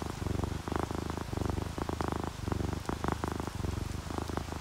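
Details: Close, rumbling purr from relaxed sleeping cats, an orange tabby and a calico, about eight even pulses in under five seconds, each breath-cycle clearly separated, with faint rain behind.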